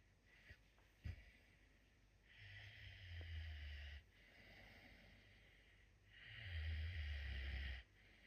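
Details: Messi, a captive puma, snores heartily in his sleep: two long, deep, rattling breaths about four seconds apart, each a low rumble with a breathy hiss on top, after a short snort.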